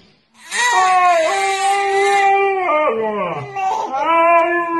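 A dog gives long, wavering howls that slide up and down in pitch, almost like singing.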